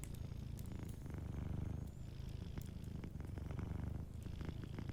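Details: Soft, continuous low purring from a sleeping cat near a fireplace, its pulsing rumble rising and easing in waves, with dense light crackling of the fire throughout.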